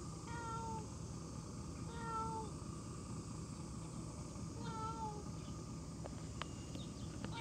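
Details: Cat meowing three times, each meow a drawn-out, slightly falling tone with clear harmonics, the first two about two seconds apart and the third after a longer pause, over a steady low background rumble with a few faint clicks near the end.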